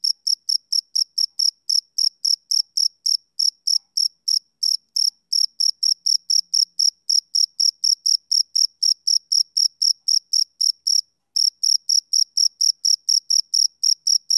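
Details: Male cricket on a summer evening giving rapid, high, bright chirps at a lively pace, the rhythm slightly uneven with a short gap near the end before the pulses resume.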